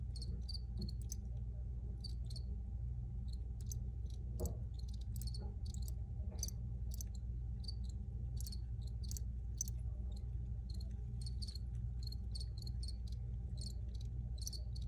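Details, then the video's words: Crickets chirping in an original field recording: short, high, bright chirps given in irregular bursts, sometimes doubled, over a steady low droning hum throughout. "Free Cricket Sounds"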